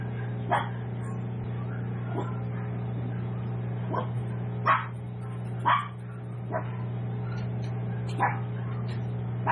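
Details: Tiny seven-week-old Toy Poodle puppies at a home breeder giving scattered short, thin yaps, roughly one per second and irregular, some louder and some faint, over a constant low hum.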